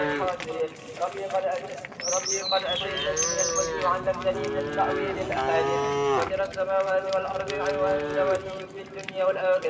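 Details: Herd of tame cows and oxen walking along a rural road to their resting place; several short overlapping moos amid a busy, noisy background with faint bird chirps and possible voices.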